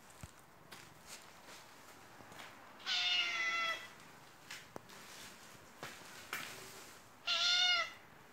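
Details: A white Turkish Angora cat gives two drawn-out, slightly wavering meows, crying for attention while rolling about on the floor.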